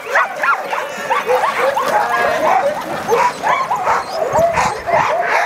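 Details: Pack of sled dogs at Caribou Crossing, dog sledding, yelping and barking all at once: rapid overlapping short barks and upward-sweeping yips keep up a steady, excited clamour throughout.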